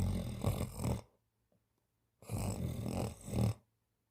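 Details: Napping cat snoring in deep sleep: two long, coarse, rattling breaths roughly two seconds apart, each swelling and fading, with quiet pauses between, in a quiet indoor room.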